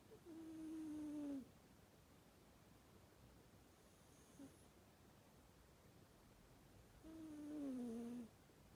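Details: Domestic cat snoring while asleep, each breath a whistled nasal tone that slides gently downward for about a second and a half; two snores about six seconds apart in a quiet room.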